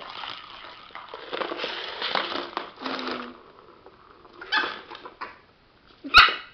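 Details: Sparky, a pet dog indoors, angry at a cat toy: rough growling and snarling bursts with harsh barks over several seconds, pausing, then a sudden loud sharp yelp or bark near the end.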